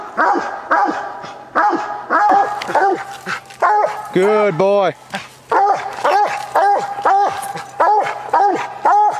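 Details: During a coon hunt, Walker coonhound Copper keeps barking up the tree, irregular bursts of loud downward-sliding barks, broken briefly by a man calling out encouragement; an old recording of limited quality.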